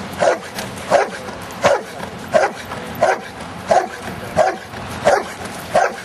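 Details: Luther, a giant schnauzer, out in rain and mud, barks steadily: short mid-pitched woofs come about every 0.7 seconds, nine in a row, over a constant hiss of wet outdoor noise.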